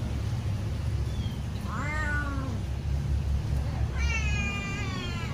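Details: Domestic cat meowing loudly while waiting for food to be served; two drawn-out meows, the second longer and wavering, over a steady low background hum.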